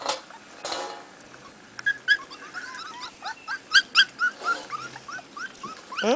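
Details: Several young Corgi puppies, out of doors for their first time, whimper and squeal in quick, rising and falling yelps, some louder bursts in a cluster near the middle, with rustling and brief handling noise around them.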